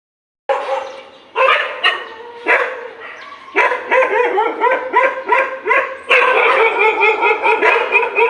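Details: In the morning, several dogs bark in a frantic, overlapping tangle during a fight, short harmonic yaps and growly barks coming faster as the scuffle builds, continuous and ragged with no steady rhythm.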